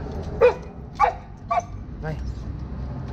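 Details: A chow chow dog that only wanted to go pee gives four short, high yelping barks about half a second apart, each a little fainter than the last, over low indoor background noise.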